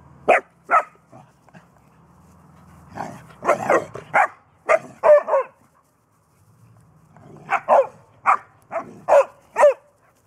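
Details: Bernese Mountain Dog puppy, three months old, pestering an older 14-year-old mixed-breed dog to play in June 2014; sharp, high barks come singly and in quick clusters, separated by a near-silent pause.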